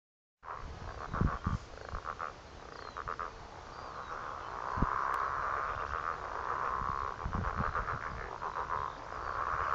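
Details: Many frogs call at once at a pond in Heathcote, a steady, crackling chorus of quick pulsed croaks and rattles around one kilohertz, with lower thumps and knocks punctuating the overlapping voices.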